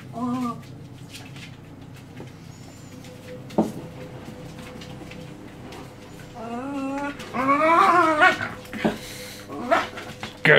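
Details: Young Jack Russell Terrier pups and an adult Jack Russell playing and play-fighting; a few high, wavering whines and yelps around seconds one, six to eight and ten, with scuffling and a steady low hum indoors.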